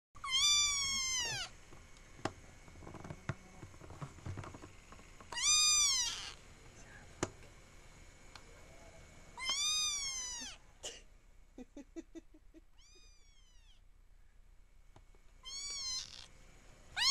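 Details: Dante, a young kitten, gives high, arching meows in short bursts near the start, middle and end, with faint thin chirping notes between and quiet background otherwise.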